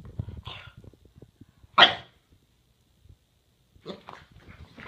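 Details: Boston Terrier doing zoomies indoors, wanting to play: one sharp loud bark near the middle, softer huffs before and after, with a man's voice and low rumbling movement noise.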